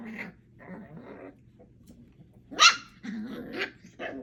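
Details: Four 8-week-old puppies, Thumper, Coco, Aurora and Elvira, play together: low rumbling growls in short bursts, broken by one sharp high yelp midway, then more growly grumbles and a brief bark near the end.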